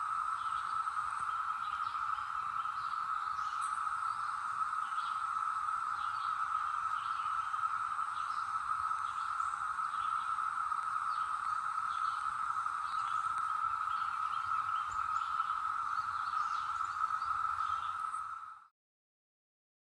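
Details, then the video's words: Brood X periodical cicadas in the North Georgia mountains in 2021, emerged after a 17-year slumber: a continuous level buzzing drone with faint high bird chirps, ending abruptly in silence. "Tranquil Sounds of North Georgia: Cicadas 2021"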